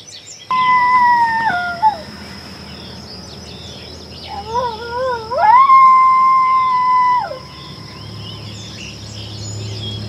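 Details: Summer coyotes: two long, clear wavering howls. The first holds steady before sliding downward. After a pause the second rises in a quavering sweep, levels off and then stops abruptly. Faint chirps sound in the background.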